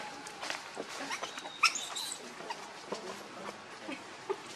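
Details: Hungry infant monkey Leo, known as Rainbow, pleading with its mother for milk: soft scattered squeaks, then one piercing tonal squeal midway, followed by quieter whimpering chirps amid light rustling.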